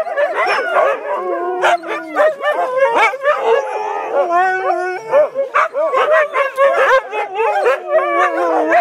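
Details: Several Siberian Huskies vocalising together in a noisy chorus: overlapping wavering howls and yips that bend up and down in pitch, with sharp bursts breaking in. The chattering runs without pause for about nine seconds.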